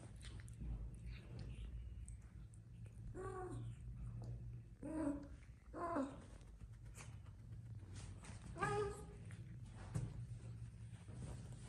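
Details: Aggressive domestic cats fighting, giving several drawn-out harmonic yowls and growls that rise and fall in separate bursts a second or two apart, over a steady low hum and some background talk.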